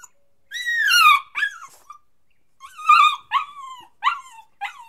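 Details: Puppy whining loudly: long downward-sliding cries with harsh edges, each followed by shorter falling whimpers, repeated in two main bursts with smaller yelps after.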